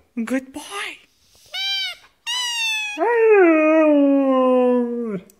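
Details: A one-and-a-half-year-old Siberian Husky indoors "talking" to a squeaking toy: short yelps and whines, a brief rising squeal, then a long sustained howl that slowly falls in pitch.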